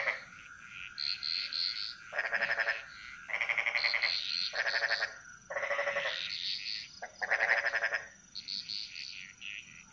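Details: Jungle frog chorus in Bali, Indonesia: several frogs trading rapid pulsed, rattling croak bursts of around a second, overlapping and answering one another, with higher chirps and a constant high background drone.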